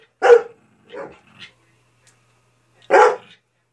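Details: Ida the dog barks at Izzy to get her to play; one loud bark, a softer shorter bark and a faint yelp, then a pause before another strong bark near the end.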